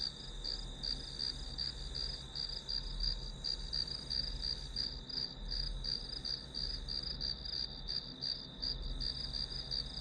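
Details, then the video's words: Grass insect sound used as study white noise: a fast, regular series of high-pitched chirp pulses, nearly three per second, layered on a steady ringing drone, with soft low rumble in the background. "풀벌레 소리"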